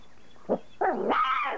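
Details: Three-and-a-half-week-old standard poodle puppy during its first meal of softened kibble; a short low yelp, then a loud drawn-out whine that rises and wavers high before fading.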